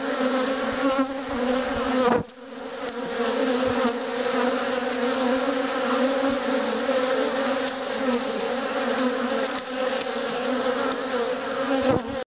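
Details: A steady, dense, low drone with layered overtones from many Western honey bees (Apis mellifera) buzzing on freely drawn comb in a top bar hive without foundation.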